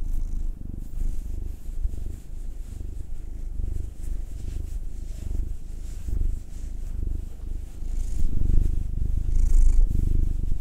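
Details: Indoor cat rumbling contentedly as it is massaged; the pair are Will, a black male of nine, and Anzu, a two-year-old tortoiseshell Munchkin female. A continuous deep purr that grows stronger toward the end, over light stroking sounds.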